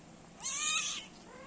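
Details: A one-month-old kitten nursing with its mother gives a single short, clear mew of about half a second, rising then holding level with bright harmonics, over a quiet indoor background.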